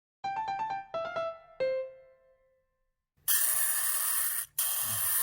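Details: Short piano phrase of repeated then descending chiming notes fades to silence, followed by a loud broadband hiss that breaks off briefly and resumes; no animal sound is heard.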